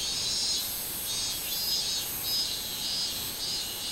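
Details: A minmin cicada sings a loud, high, buzzing drone that swells and fades in repeated pulses; recorded 24 July 2016.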